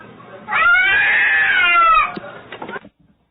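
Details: Domestic cat in a funny cat compilation, giving one drawn-out, clear meow lasting about a second and a half. Its pitch arches gently up and then slides down, followed by a few soft rustles and clicks before silence.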